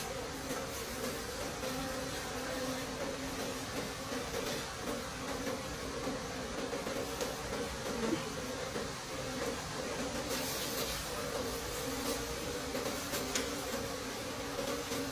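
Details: Wild bees in a deep forest during a late-season honey harvest: a steady, low droning hum holding a constant pitch under a hiss of broadband noise, with occasional brief crackles.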